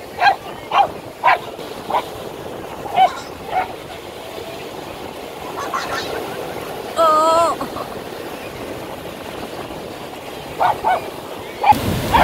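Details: Kalyani, called Kallu, a 6-year-old Lhasa Apso, on a beach in Kerala, India, her first visit in six years, gives short sharp barks in scattered bursts, with human speech and a roaring surf background.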